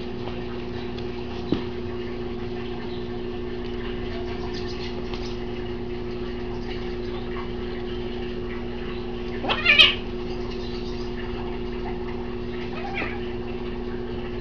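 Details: Rescued street kitten, one of four cared for by the animal defence collective Hermanos de Garras: a single short, rising-then-falling meow partway through, otherwise quiet apart from a steady low electrical hum and faint indoor noise.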